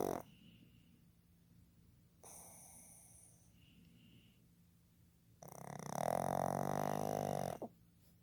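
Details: Sleeping male pug named Fukuzo, born 15 July 2020, gives a heavy throaty snore of about two seconds with a steady buzzing drone, preceded by softer wheezy breaths and quiet pauses.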